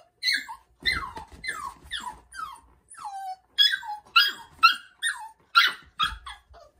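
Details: Young Labrador Retriever puppy's night crying during its first night shut in a cage indoors: a steady run of high whimpers and yips, each sliding downward, about two per second, with short pauses between them.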